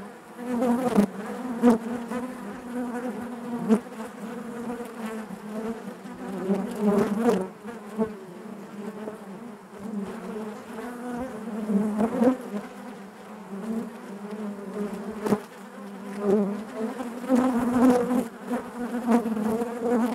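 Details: Inside a honey bee hive, many bees produce a continuous humming drone, rich in stacked overtones, with repeated louder swells and sharp passing buzzes every few seconds.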